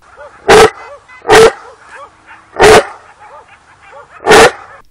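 Four heavy, forceful barks from a Dogo Argentino ring out at uneven intervals of one to two seconds. Soft, faint whining tones can be heard between the barks.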